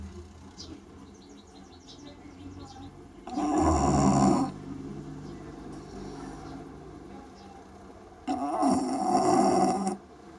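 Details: Shiwa the Bulldog snoring: two loud, rasping snores about five seconds apart, each lasting one to one and a half seconds, with quiet breathing and faint background noise in between.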